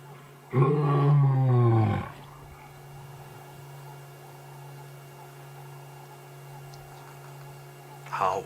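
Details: At sunset in wild Africa, a male lion gives one deep, moaning call of about a second and a half, not a full roar, somewhere between a roar and a contact call, perhaps to reach his brothers, then quiet with a low hum.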